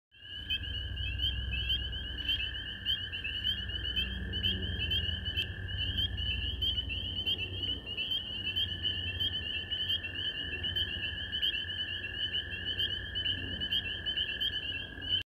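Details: Spring peepers calling at a stream in Washington, DC, a steady dense chorus of high piping peeps forming a continuous band, with a low rumbling background throughout.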